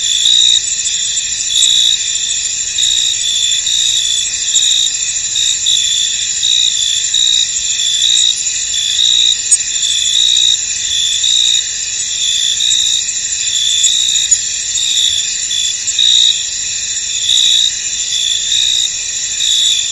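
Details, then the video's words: Misty field at night-like calm filled with crickets: a steady, dense high-pitched trilling chorus with rhythmic louder chirp pulses and a couple of sharp clicks. "Tranquil Cricket Sounds In An Misty Field"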